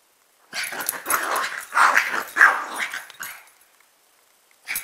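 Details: Two pet dogs, a chihuahua/pug mix and a rat terrier/pitbull/jack russell/beagle mix; a quick run of four or five harsh, mid-pitched barks, then a pause and one more bark.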